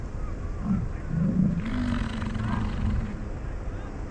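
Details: Rutting American bison in the Grand Teton, Jackson Hole and Yellowstone area on a morning of fighting, chasing and mating; a few short low grunts, then a long, deep, rumbling bellow of over a second against a steady low background hum.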